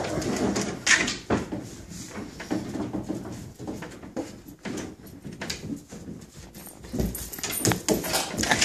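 A husky gives rough, irregular bursts of sound while disciplining her pups indoors.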